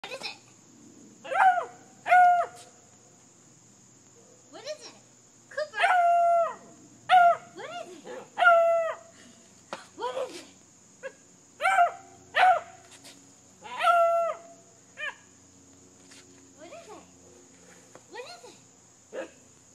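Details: Six-month-old beagle puppy howling at a brake drum; a series of short, rising-then-falling howls and yips in bursts, with a steady high electronic whine in the background.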